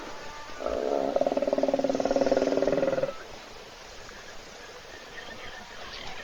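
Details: Snoring hippo lying in a puddle at a South African waterhole, seen on an Africam webcam, with other wild animals waiting to drink. One harsh, buzzing, fast-pulsed exhalation runs about two and a half seconds, then soft ambient hiss.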